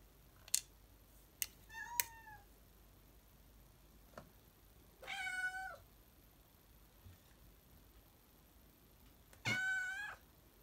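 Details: The Black Widow, a pet cat at home before her chicken broth and brown rice dinner, gives three separate meows several seconds apart, the later two longer and wavering, among light clicks and tapping in a quiet room.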